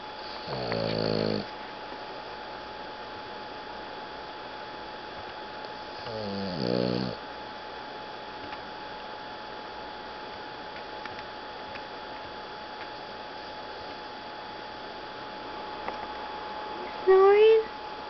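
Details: Rocket, a Boston Terrier napping after playing in the hot sun, gives two short snorts with a harmonic buzzy tone about five seconds apart, then a long quiet stretch and a brief sharper sound near the end.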